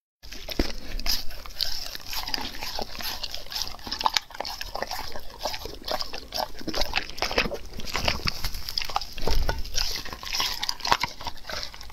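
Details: Dog eating raw food, dense wet chewing, crunching and slurping noises in rapid irregular bursts, with low thumps throughout.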